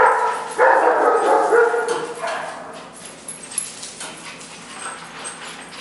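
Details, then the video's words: Playful puppies under a year old, among them an Italian Greyhound, a Brussels Griffon and a Mini-Dachshund, romping indoors; a burst of loud harmonic barks and yips early on, fading to soft scuffles and scattered faint yelps. "4 Puppies Playing"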